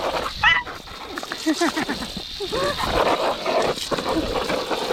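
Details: Bulldog puppy sisters Pansy and Daisy at play, the calmer one falling behind and sulking; quick clusters of squeaky, bending whines and short yips, some rising then falling, with low grunting and background noise.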